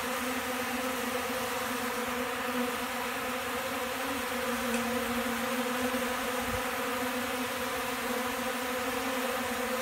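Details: Many honey bees, described as hungry for pollen and eating right out of a hand, one warm December day: an unbroken low buzz holding a constant pitch, with one brief low thump near the end.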